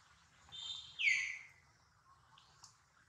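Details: Baby monkey Duke, hurt near mother Duchess, lets out a soft rising whine followed by one loud squeal that falls in pitch. Faint chirps follow, over a low rumbling background.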